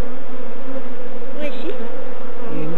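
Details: African honey bees (Apis mellifera scutellata, killer bees) swarming in Kenya while the swarm is caught: a dense, steady low hum with even droning bands and a brief spoken voice midway.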